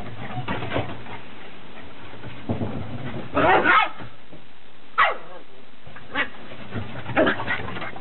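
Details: Sixty-nine-day-old Beagle puppies out on a deck for the first time; scattered short barks and yelps, one loud burst midway, with faint background noise throughout.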